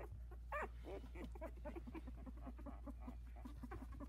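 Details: Four 16-day-old Havanese puppies in their whelping box, one trying to climb out; short squeaky whimpers come through over a steady low hum and rustling.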